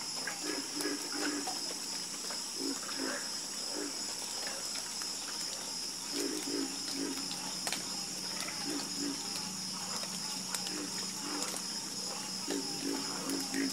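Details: Chorus of frogs croaking at night: short, low, throaty croaks in clustered bursts from several callers, irregularly spaced and overlapping, over a steady high-pitched hum that runs unbroken throughout.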